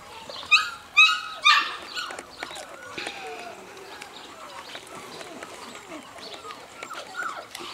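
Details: Seven-week-old female puppy giving three sharp, bright yips in under a second and a half, followed by softer whining squeaks and faint voices in the background.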